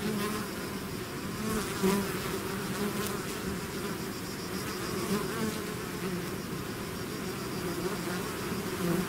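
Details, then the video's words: Bee swarm emerging from its hive: a continuous blanket of buzzing wings, low humming core with brighter passing buzzes of individual bees scattered through, no other animals or voices. "bees therapy swarm natural buzzing sound"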